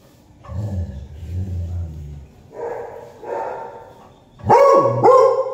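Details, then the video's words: A beagle barking at a black cat: a low rumbling growl first, then a mid-pitched grumble, ending with two loud, sharp, bursting barks about half a second apart. "beagle dog barking a black cat"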